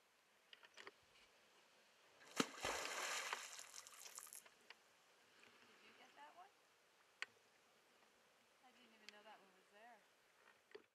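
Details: North American beaver slapping its tail on the water at Iron Mtn.: one sudden sharp smack followed by about two seconds of loud splashing and churning water, then quiet with soft human voices talking afterward.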